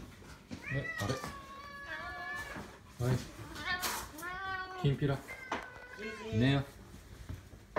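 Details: Domestic cat at bedtime indoors, giving several drawn-out, wavering meows, some rising then falling, while a person talks softly in Japanese nearby.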